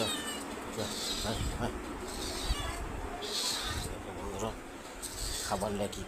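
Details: Domestic cat fed home-cooked Bengali food at home: short harmonic meows recur every couple of seconds, partly overlapped by a person talking and calling to it.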